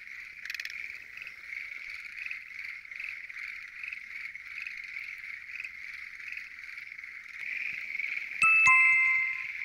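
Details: Crowded frog chorus of Schlegel's green tree frogs, heard at night from a lotus pond. Constant overlapping trills form a steady buzzing drone, with a brief louder burst early on and a ringing chime near the end.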